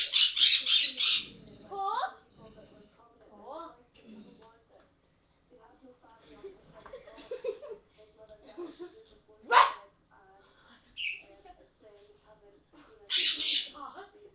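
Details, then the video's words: A pet dog barks at its people, giving a quick run of sharp, harsh barks, then barks again after they talk. "my dog blade barking"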